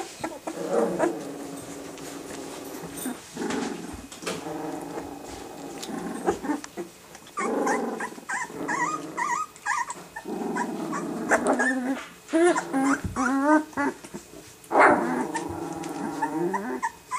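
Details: Two-week-old Rottweiler puppies protecting their territory: several small rough growls in low bursts, broken by short squeaky yips and whines that rise and fall, with scuffling between bouts.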